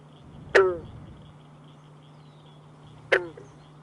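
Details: Two abrupt, twanging gulps from a well-camouflaged green frog, like a loose banjo string plucked, spaced about two and a half seconds apart, heard while herping.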